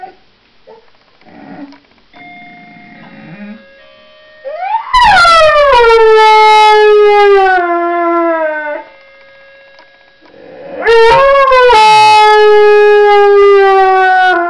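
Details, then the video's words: Dog named Honey singing: two long howls, each sliding sharply down from a high start, then holding a steady, slightly wavering tone for several seconds, with a quiet pause between them and faint soft sounds before the first. "Singing Honey"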